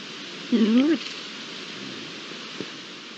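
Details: Iberian lynx from a pair filmed on 22-09-22 giving a short wavering call that swoops upward and then drops, followed by a faint click, against a constant rain-like background hiss.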